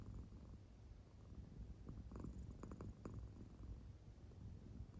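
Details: Claire, a pet American Shorthair cat fast asleep, makes a faint, low purring rumble. A short cluster of sharper crackling pulses sounds midway, then the soft drone continues quietly.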